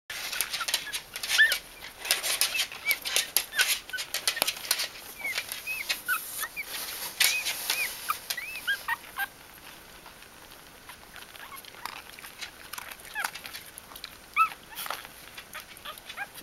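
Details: Bichon Frisé puppies in a litter at Vejles Lille Kennel give many short, thin, high squeaks and whimpers, each rising then falling. They come in quick irregular bursts over steady rustling and scratching, with a quieter stretch midway.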